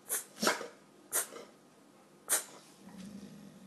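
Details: Indoors during a food-rewarded trick session, a pet dog (cane corso Gia or bullmastiff Deuce) gives four short, sharp snorting bursts, sneeze-like, over about two and a half seconds, then a low steady murmur follows.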